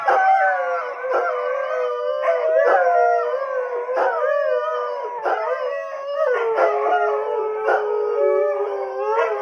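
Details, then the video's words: Howling chorus from three greyhounds reacting to TV police sirens: layered drawn-out wails that waver and bend in pitch, with brief gaps and sharp yips punctuating the steady sound. "Our 3 Greyhounds Howling at Live PD Sirens"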